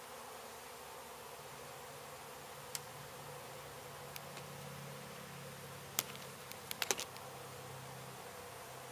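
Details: Honey bees from a beehive struck by construction crews at an abandoned home being demolished in Mission, Texas, during their relocation: a steady, dense, low buzzing hum throughout, with a few sharp clicks and knocks near the end.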